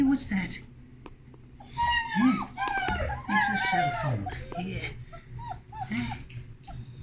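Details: Puppies let out to explore their whelping box indoors; a woman talks over a string of arched, squeaky whimpers, several pups overlapping in a busy cluster, with rustling of blankets in between.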